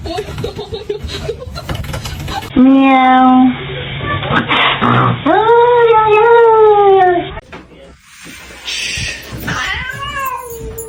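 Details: Pet cat meowing in several drawn-out, wailing calls that rise and then fall, with bursts of music and human speech between them.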